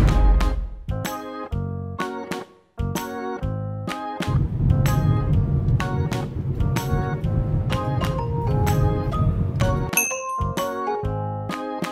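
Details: Upbeat instrumental music with a steady beat and a brief dropout near three seconds; no animal voices.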